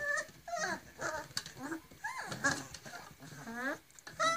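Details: Griffon puppies about forty days old, a litter of three males and four females in Cairo, Egypt, giving high whining whimpers with rising and falling squeals, several short cries overlapping, with some human speech in the background.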